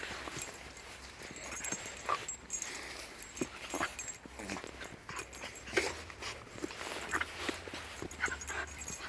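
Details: Five-week-old Shiba Inu puppies, born 25 February 2020, playing outdoors alongside adult Shibas; soft scattered whimpers and little yips rise here and there over steady rustling and movement noise.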